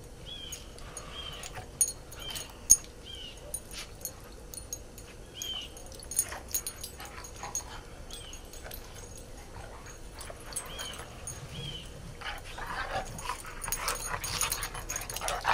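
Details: Three dogs playing together in the snow; short, high, thin whining yelps come in a loose series, roughly every second or two, over soft rustling and crunching, with a louder burst of scuffling noise toward the end.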